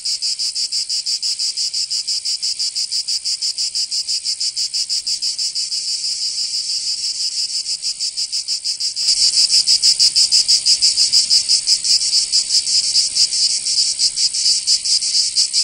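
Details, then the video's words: Summer cicadas in Provence, south of France, buzzing in a shrill pulsing chorus; after about nine seconds the song grows louder and the pulsing shifts in character, then continues steadily. "Canto Cigarra 🦗 [ Escuchar les cigarras en verano 10 H]"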